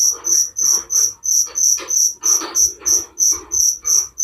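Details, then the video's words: Cricket chirping at night, offered as relaxing sleep sounds: high, bright chirps pulsing steadily about three times per second, with a softer, lower rustling buzz running beneath each pulse. "Suara Jangkrik penghantar tidur || Relaxing sound of crickers"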